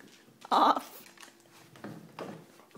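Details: Frightened Dobermann reacting to a coat it takes for a monster: one loud abrupt bark, then softer huffing sounds, in a quiet room.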